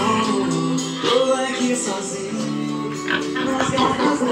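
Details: Lively Latin American music with singing and tambourine fills the whole stretch, with no pig or other animal sounds standing out.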